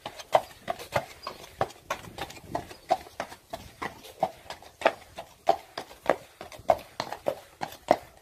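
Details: Friesian horse walking, steady clip-clop of hooves, crisp knocking strikes roughly every half second in an uneven four-beat rhythm, clean and close with little background.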